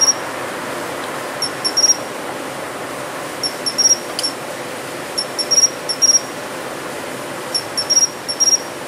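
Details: Japanese pine cricket singing in shrubbery in autumn: thin, high tinkling chirps in doubled and tripled clusters roughly every one to two seconds, a little quieter against a broader background rumble.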